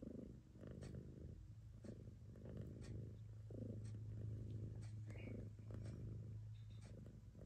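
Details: Nursing mother cat Choo-Choo Kitty purrs steadily with a strong low hum, more even and continuous here, while her kittens feed amid faint clicks and a small squeak.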